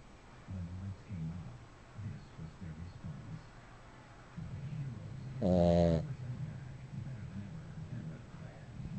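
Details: Sleeping dog breathing softly with low, rhythmic wheezy breaths, then one short, loud buzzy snore past the middle before the quiet breathing resumes.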